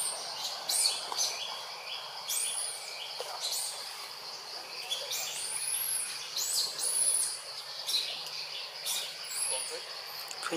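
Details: Monkey Jazzy cries out loudly when Jane fails to come and help; rapid run of short, shrill arched squeals and whines, overlapping and uneven, with soft hissing background noise throughout.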